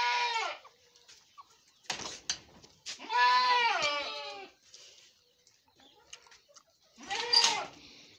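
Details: Goat on a goat farm during delivery, giving three loud, nasal, wavering bleats. The middle bleat is longest at about a second and a half, and the bleats are separated by short clatters and knocks.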